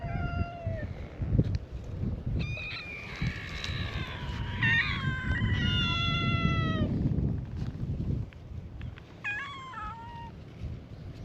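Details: Chorus of meows from stray cats at a cat-island gathering, greeting a visitor: many overlapping cats call at once, long wavering harmonic meows in the middle, a few short sharp ones near the end, with low background rumble.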